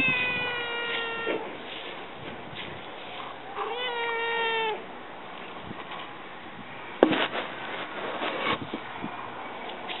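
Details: Domestic cats indoors: a male Siamese asleep in a basket and a black-and-white female who comes over. Two clear harmonic meows, the second rising then steady, followed by rustling and a sharp knock.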